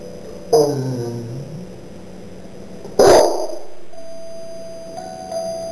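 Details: Pet corgi singing along to the Christmas carol "Silent Night": a drawn-out, harmonic howl sliding slowly downward for about a second, followed by a struck piano-like note that rings and fades.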